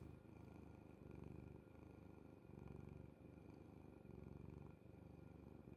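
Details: Sleeping cat on its owner's bed, purring in a low continuous rumble that swells and eases with each breath, about every one to two seconds, in a quiet room.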